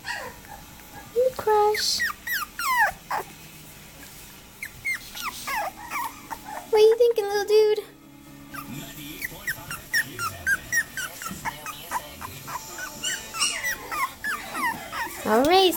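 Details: Male Cavapoo puppy born on 3-30, squeaking and whimpering in rapid, high, sliding cries, many short bursts at a time, mixed with a man talking softly to it and some handling noise.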